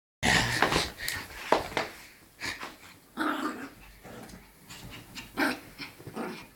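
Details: A Yorkshire Terrier playing and frolicking gives sharp, yappy barks mixed with rough growls and panting.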